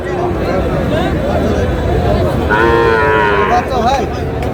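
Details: Sahiwal bull calf at a Rajbari cattle market on 3 August; one strong harmonic moo in the middle, with a shorter call after it, heard over steady crowd talk and bustle.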